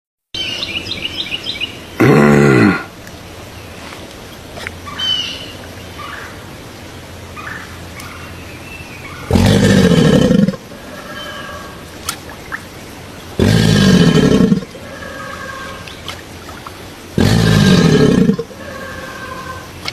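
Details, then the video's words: Crocodile giving four loud, harsh, low bellowing bursts, each under a second long and spaced about four to seven seconds apart, over a background of soft bird chirps and outdoor ambience. "Suara asli buaya"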